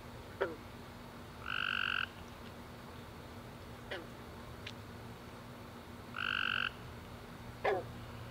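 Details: After a warm wet summer day, tree frogs chirp at night; two half-second buzzy trills stand out about five seconds apart over a low steady hum, with scattered faint clicks.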